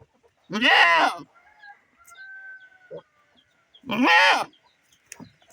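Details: A female goat kept from grazing because her kid has diarrhoea, separated from her herd and crying for it, gives two loud, harsh bleats, each under a second long, a few seconds apart.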